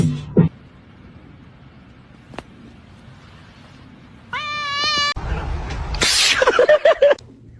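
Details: Domestic cat filmed while fighting: one steady, strongly harmonic meow lasting under a second, then a burst of scuffling noise and a short wavering yowl, with abrupt cuts and quiet background hiss between.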